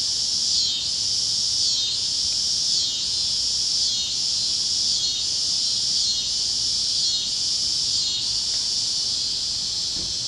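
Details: Warm evening chorus of cicadas over the fields of Kansas at sunset, a continuous shrill hiss-like drone pulsing in regular waves roughly every second across ten seconds.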